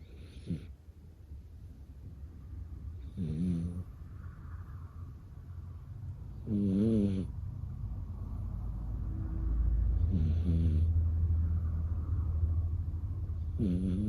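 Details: A sleeping puppy snores loudly: deep, rattling, throaty snores come every few seconds over a steady low hum.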